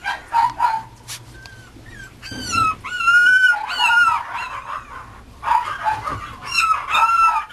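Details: Whining Mame Shiba Inu puppy: clear high whimpers and yips, some long and gently falling, others short and rising, coming in clusters separated by brief pauses.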